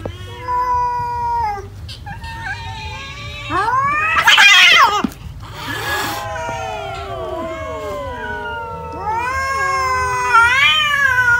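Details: Cats eating rice make loud wavering caterwauls and meows, long harmonic cries bending up and down, with a harsh noisy burst near the middle and more rising wails toward the end over a low hum.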